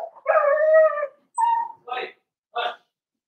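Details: Four-week-old Cavalier King Charles Spaniel puppies indoors in their pen; a long tonal whine is followed by a shorter whimper and two brief yelping bursts, all close and loud.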